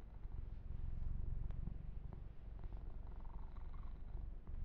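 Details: Massaged male kitten purring ear to ear while being groomed: continuous deep, throbbing purr, swelling slightly in the middle, with faint brushing and tapping noises over the top.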